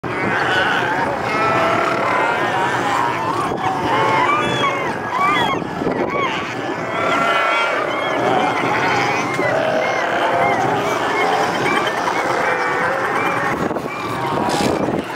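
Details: A family group of northern fur seals (Callorhinus ursinus) on coastal rocks in the wild calls together in a dense, overlapping chorus of harmonic bleats and moans.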